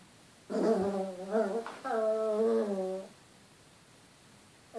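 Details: Chihuahua vocalizing at its own reflection in a mirror indoors: two drawn-out, wavering, nasal whining grumbles with rich overtones, each lasting about a second, separated by a brief pause, then quiet.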